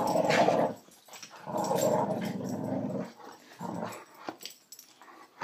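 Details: Boxer female playfully bullying a border collie indoors; rough, noisy growls in bursts of about a second, separated by short pauses, with scuffling.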